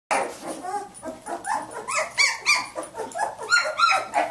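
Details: Samoyed puppies nineteen days old, litter of Athena, up and playing; rapid high yips and squeaky barks overlap in quick bursts, several pups calling at once.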